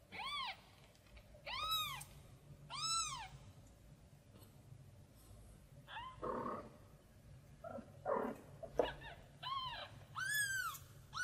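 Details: Tiny kitten crying out while looking for its mother cat: high arched meows with stacked harmonics, repeated roughly every second and a half, broken midway by a few short thumping noises before the cries resume.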